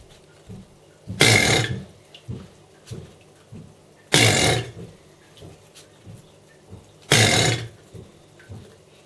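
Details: A 12-year-old male Chinese alligator in captivity gives rough, roaring bellows, each about half a second long, repeated every three seconds.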